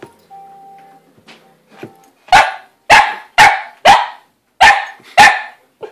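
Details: {'caption': 'Chester, a pet dog, barks at Lizzie the cat as she hides in her play house; after a quiet start, six sharp, loud barks come in quick succession about every half second.'}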